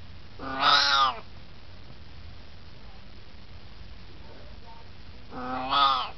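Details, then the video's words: Chatty 18-year-old Siamese cat at rest: two loud, rich meows with many harmonics, one at the start and one at the end, separated by about four seconds of quiet. "Siamese Cat Talking"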